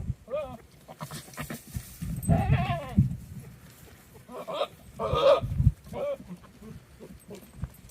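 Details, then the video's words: Rutting goats, one in heat, recorded where wildfires burn nearby: a series of harsh, nasal bleats of varying length, some raspy and broken, spread through the recording over low rumbling noise. "Goats making some crazy sounds"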